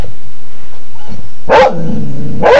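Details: Pet dog barking at a printer inside a home, two sharp barks about a second apart over a steady low hum, with a faint tone between them.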